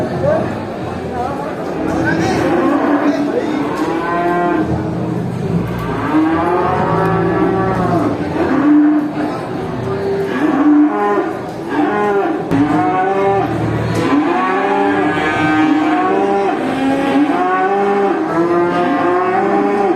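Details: Many cattle at a traditional animal market, mooing continuously in overlapping, harmonic calls that rise and fall, several animals calling at once throughout, with a busy crowd murmur beneath.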